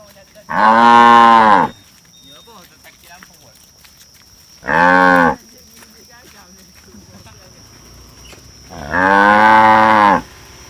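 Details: Tame cattle calling in three separate moos spaced about four seconds apart, the first and last long and full, the middle one shorter, over a low background hum with a faint steady high tone.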